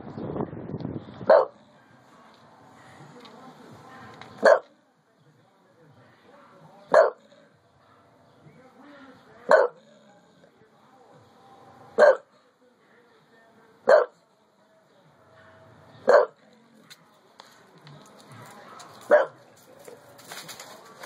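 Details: Bulldog at home guarding after hearing something he dislikes, acting to protect his owner; single loud barks repeated about every two to three seconds, eight in all, with quiet rustling and low background sounds between.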